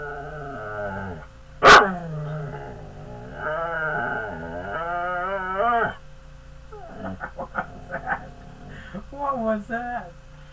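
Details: Pet dog, called big and mean by its owner, making drawn-out moaning, growling vocalizations that rise and fall in pitch, with a sharp loud bark or clap near two seconds and choppier yips toward the end.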